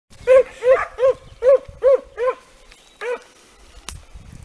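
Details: Segugio Italiano scent hounds in training on hare, giving a run of arched, ringing bays about every 0.4 seconds, seven strong voiced notes followed by a quieter one, then a sharp click.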